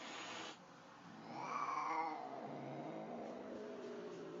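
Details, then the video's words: An angry cat facing a calmer cat in the same place lets out a drawn, wavering yowl that swells and fades over about a second, then trails into a low, rough tone. "Angry cat VS nice cat"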